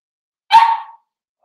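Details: Four-week-old Cavalier King Charles Spaniel puppy from Daisy's litter, kept in an indoor puppy pen, gives one loud, sharp yipping bark lasting about half a second, then silence.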